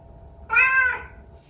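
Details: A single clear meow from a talkative pet Bengal cat, about half a second long, harmonic and slightly falling at the end, over a low indoor hum.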